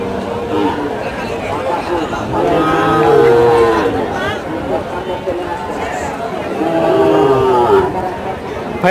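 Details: Bull calves of an improved breed at Choubaria cattle market, Manda, Naogaon, recorded 28 September 2018: two drawn-out, mid-pitched moos, one near the start and another later, over steady crowd chatter and human voices.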